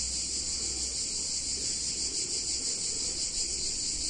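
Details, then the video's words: Brief stretch of cicada song on a hot summer day in an Italian town: a bright, high, seamless buzzing wash with gentle pulsing over a low background hum. "Cicadas In Warm Summer Day In Italian Town"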